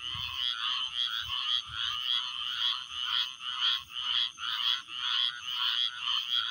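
A dense chorus of frogs chirping in high, buzzy pulses that swell and fade almost twice a second.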